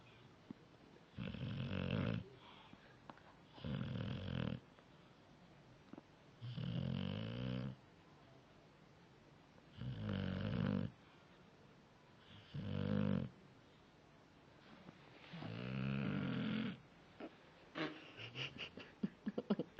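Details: Pet dog Jaicoooo asleep and snoring: six or seven rough, rumbling snores of about one second each, coming every two to three seconds, followed by a few faint clicks and shuffling at the end.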